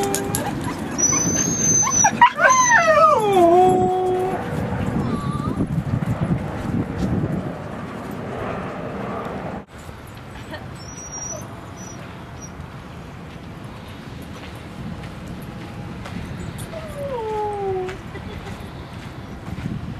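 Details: Seal Point Dog Park, San Francisco Bay, October 2015: a dog's high, sliding whimpers wobble downward in a cluster early on, then fall silent before a single thin descending whine late, with constant outdoor rumble beneath.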